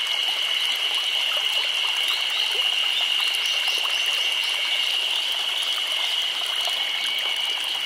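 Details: Chorus of cicadas in summer in Nagano Prefecture, Japan: a dense, unbroken high-pitched drone holding one steady shrill tone, layered over a continuous hiss with no pauses.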